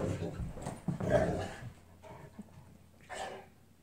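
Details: Pair of Newfoundland dogs in a play fight; a deep, gravelly growl swells over the first second and a half, then fades into softer grumbles and a short huffing burst near the end.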